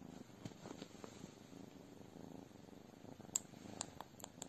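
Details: Abyssinian cat purring steadily: a low, pulsing rumble that holds throughout, broken by a few sharp clicks and taps in the later seconds, indoors and quiet.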